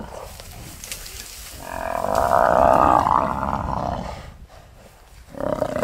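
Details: Wild lioness at Londolozi attacking a buffalo and being thrown around. A loud, harsh, drawn-out roaring snarl swells for about two seconds, with quieter rumbling and rustling before it and a fresh burst of noise at the end.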